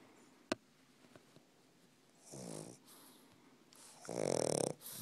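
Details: Doug the Pug, a pug trying to sleep, gives two rough snoring breaths, the second longer and louder, after a sharp click early on in a quiet room.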